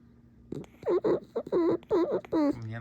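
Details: Pet fox squeaking indoors: a series of five short, nasal, harmonic squeaks in quick succession, each bending up and down, with a brief low grunt at the end and quiet room noise between.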